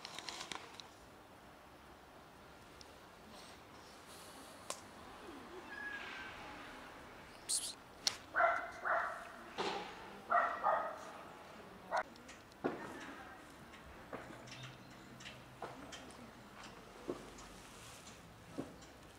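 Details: Cats squabbling over food, a ginger cat among black cats: two short, strained meows a couple of seconds apart. Around them are scattered clicks, knocks and clattering noises.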